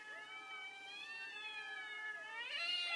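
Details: One sustained, wavering yowl from a fighting cat, held steady for over two seconds before swelling louder and climbing higher at the end.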